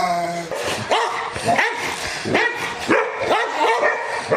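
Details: A Rottweiler barks angrily at the camera or toward an off-screen sound or window, in rough, harsh bursts that come in quick succession.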